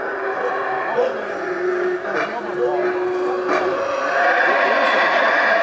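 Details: Wild howler monkeys at the Mayan ruins of Xunantunich in Belize, recorded without enhancement, give a dense, roaring chorus of overlapping drawn-out howls that swell and hold steadily, with higher harsh tones layered over a low sustained drone.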